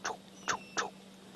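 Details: Karula, an 11- or 12-year-old female leopard with two 4-month-old cubs, gives three soft, breathy chuffs through the nose, the last two close together, over a faint steady hum, on a 23 °C June afternoon at Djuma.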